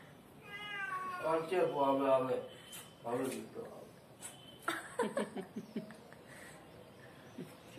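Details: Pet kitten eating food indoors gives a drawn-out, slightly strained meow, then a brief second mew, followed by clicking and chewing-like taps, with a person speaking nearby.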